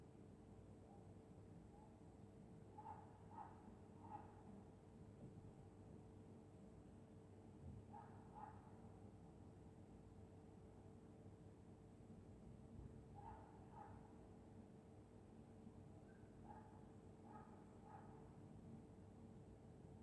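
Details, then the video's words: Dog asleep on a winter night in Scotland, snoring softly: faint paired rasping breaths recurring about every five seconds over a steady low electrical hum. "Dog snoring in Winter night"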